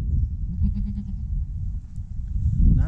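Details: First goat kid of the year gives one short, thin bleat lasting about half a second, its harmonics stacked above a heavy low rumble of background noise that fills the recording.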